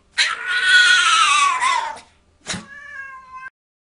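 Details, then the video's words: Cat-like yowl from a dog: a sustained, strained meow lasting nearly two seconds that slides gently downward, then a brief click and a steadier, flatter tone. "Dog makes cat noises"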